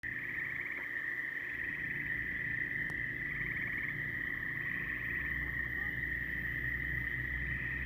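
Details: Frogs calling in a dense chorus: a steady, unbroken high ringing drone runs throughout, with short pulsed rattling trills rising above it twice in the first half, over a low rumbling background.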